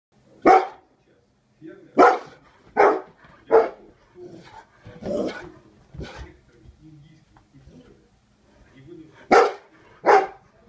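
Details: Female Bernese Mountain Dog barking at the postman: deep loud single barks at irregular spacing, about nine over ten seconds, with a pause in the middle and softer muffled barks between.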